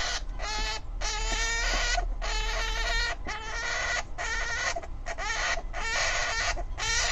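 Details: An angry Syrian hamster screaming, harsh noisy bursts of about half a second to a second, repeated almost back to back in rapid series with brief gaps.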